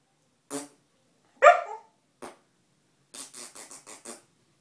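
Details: Pet dog reacting to a fart sound indoors: a soft huff, one short sharp bark, then a quick run of six breathy huffs in a row.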